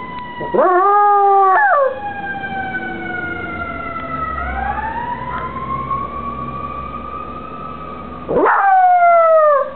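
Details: A shy female Cairn Terrier howls in long, rich, drawn-out tones that rise and fall, with another household dog heard in the background.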